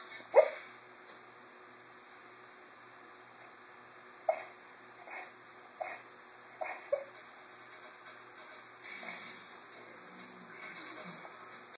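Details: English Mastiff puppy Thora, female, almost four months old and 50 lbs, dreaming during a nap in a kitchen indoors: a sharp muffled yip, then a run of six short soft woofs about a second apart, fading into faint whimpers.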